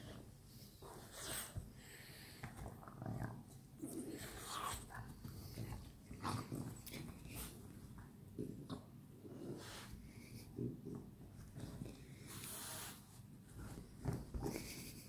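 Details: Several French Bulldogs playing together at night, giving repeated low throaty growls, grunts and snorts in irregular bursts throughout, with rustling of bodies between sounds.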